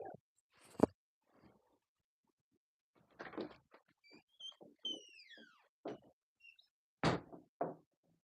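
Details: Three-week-old English Cocker Spaniel puppies at a kennel, eating food for the first time: a few high, thin whines sliding steeply downward in pitch around the middle, mixed with scattered knocks, thumps and clattering.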